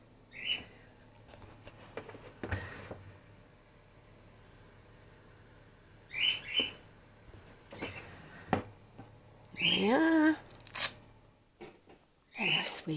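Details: Grey-headed flying-fox pup named Gwickle, a female in care on her second day and bottle support fed after her mother was concussed. Short, high squeaks come in bursts at about 0.5, 6, 10 and 13 seconds, separated by clicks and handling noises indoors.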